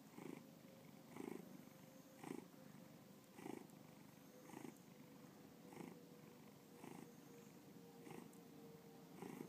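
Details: Pet cat Bubba purring at home in Lakewood, Ohio; a low continuous rumble with breathy surges about once a second, a faint steady hum running underneath.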